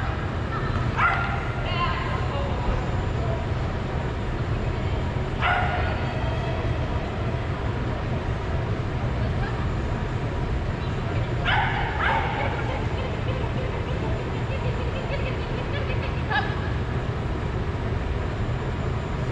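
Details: Soft Coated Wheaten Terrier in Greater Denver, recorded 8 6 2022, giving four short, bright yips spaced roughly four to five seconds apart over a steady low rumble of engine or traffic noise, with voices nearby.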